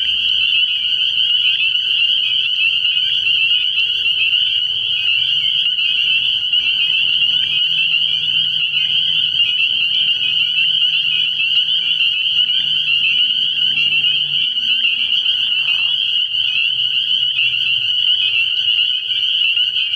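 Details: Chorus of many spring peepers at a frog pond at night early in the year: a dense, unbroken wall of high, shrill peeping that never pauses, with a faint low rumble beneath it.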